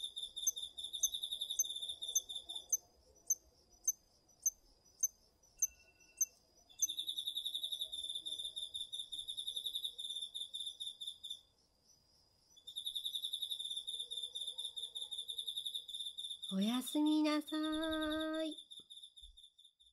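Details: Autumn night insects, crickets included, singing in a garden vegetable field, recorded with a DR-40X: a series of evenly spaced high clicks, bursts of pulsed trilling with gaps, and a short rising harmonic call near the end.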